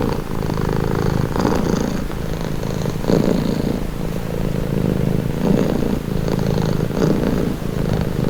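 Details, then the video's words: Cat purring close up as a calming sound, a low steady vibrating rumble that rises and eases with each breath, roughly every one and a half seconds, with no other sounds present. "Purring cat"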